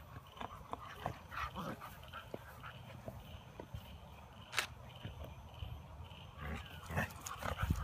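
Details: Brave baby Siberian Husky in rough play with an older brother and mother, giving soft short yelps and whines amid steady scrabbling, bumping and clicking, busier toward the end.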